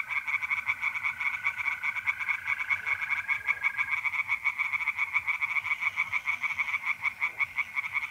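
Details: Night chorus of tree frogs at a pond in North-East Italy, mid-April: fast, rattling pulses repeated without pause from several callers, overlaid by the level, continuous trilling of mole crickets.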